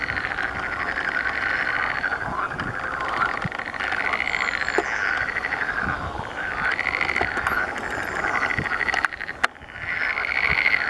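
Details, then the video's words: During the mating season, a chorus of water frogs produces rhythmic buzzing, pulsed croaks that rise in repeated waves every couple of seconds, with occasional sharp clicks and a brief dip near the end. "gody żab zielonych"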